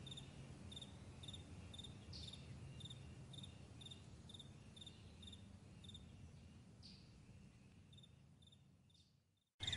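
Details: Morning meadow crickets chirping in regular bright high pulses for about nine seconds over a low background hum, then the sound fades almost to silence before a sudden burst at the very end.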